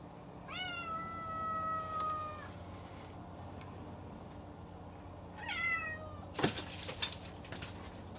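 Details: Domestic cat calling another cat to a fence to tease it before fake-attacking; a long, drawn-out tonal meow lasting about two seconds, then a shorter meow near the five-second mark, followed by a sharp rustling clatter.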